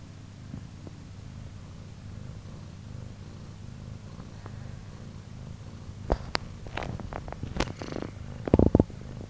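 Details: Soft steady purring rumble among Pluma's kittens, four days old, for about six seconds, then scattered clicks, rustles and knocks from movement near the end.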